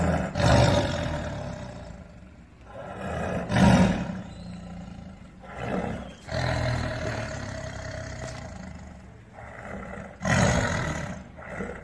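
A tiger gives deep, rumbling growls in broad low bursts that sound almost like an idling engine.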